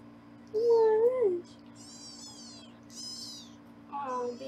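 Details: Kittens being weighed by their foster carer on a Los Angeles live kitten cam. One clear drawn-out meow rises and bends down, followed by thin high-pitched squeaky mews and a shorter final meow, over a low background hum.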